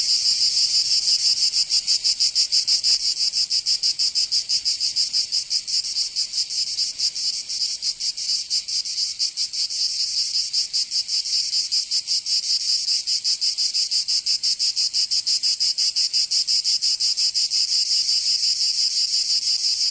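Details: Summer cicada chorus from Provence in the south of France, a continuous shrill buzz pulsing quickly and steadily, roughly three throbs each second, slightly uneven in strength, with nothing else clearly audible.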